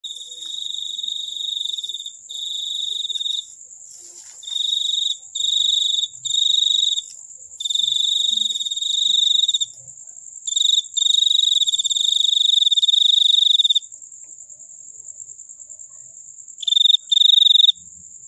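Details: Cricket chirping in bright, high trilled bursts of one to three seconds, separated by short pauses, with a faint steady high buzz running underneath throughout.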